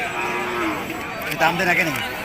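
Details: Cattle at a busy livestock market in Nilphamari, Bangladesh: a low, drawn-out moo sliding downward near the end, under loud overlapping voices of buyers and sellers calling out prices in Bengali.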